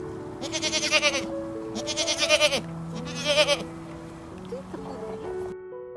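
A goat gives three wavering, nasal bleats in quick succession over soft background music.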